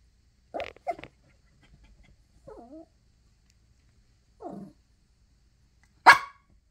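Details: Yorkshire Terrier Chloe, a tiny pet dog, whimpers for a tissue box she longs to tear apart: two short yips, a couple of wavering whines, then a single loud high bark.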